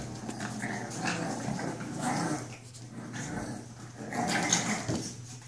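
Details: Puppies at play indoors: rough little growls and yelping barks come in clustered bursts about every second, with scrabbling and knocking sounds of tussling in between.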